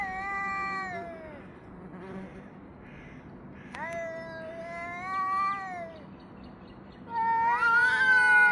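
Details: Yowling cats facing off, recorded 3 Av 5785 from 6:01 to 6:04 summer time: falling moans, a brief lull with faint murmurs, then sharper rising wails building into a loud, tremulous overlapping duet.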